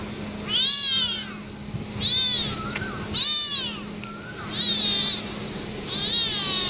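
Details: Domestic cat calling out in anger with a series of arched, drawn-out meows, about five in under seven seconds, each rising then falling, spaced roughly a second apart over a steady low hum.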